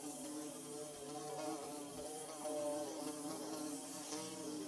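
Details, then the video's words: Droning hum of bees at work on a nest, layered wing tones wavering gently up and down, continuous with no pause, one slightly louder swell near the middle. "Bee Buzzing"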